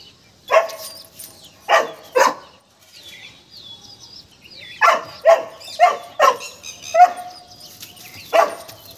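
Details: Scared of a peacock, Golden Retriever Tiger lets out about nine short, punchy barks in uneven bursts, with a brief quieter stretch holding faint high tonal sounds.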